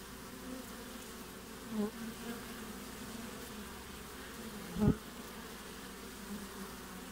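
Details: Midwinter honey bee hive entrance in Australia, June 20; constant low buzzing with two louder close passes, one near two seconds and a sharp bump near five seconds.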